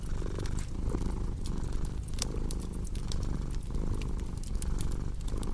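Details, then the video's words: Cat purring for relaxation and deep sleep, paired with a cozy crackling fireplace: a steady low rumbling purr that swells with each breath, roughly every 0.8 seconds, while sharp pops and snaps of burning wood crackle above it. "Purring Cat with Cozy Crackling Fireplace Sound"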